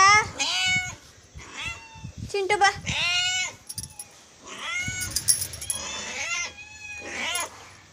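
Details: Hungry domestic cat meowing in the morning: a run of loud, drawn-out, arching meows, some rising then falling, about every two to three seconds, with a person calling to it in Kannada and short clicks between calls.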